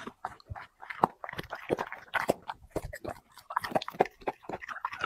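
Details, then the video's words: A dog eating chicken and vegetables for a mukbang feast: dense, irregular crunching and smacking bites, several per second, with short pauses between bursts and no other clear sounds. "dog eating 5 plate unlimeted chicken 🍗 vegetables mukbang"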